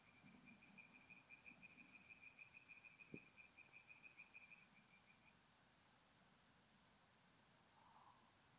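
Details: Tree frog singing at night at a forest pond in north-east Italy in mid-April: a fast regular run of short creaky pulses, about three per second, lasting five seconds, then quiet; one sharp knock mid-way.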